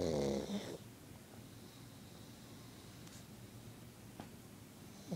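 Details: RJ, a pet pug sleeping and unwilling to wake, lets out one loud throaty snorting snore at the start, then quiet room hush follows.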